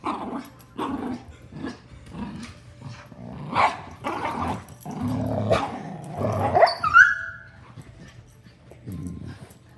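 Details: Play fight between a miniature schnauzer and a giant schnauzer: deep throaty growls and snarls with harsh bark bursts, one ending in a brief high yelp, in uneven clusters.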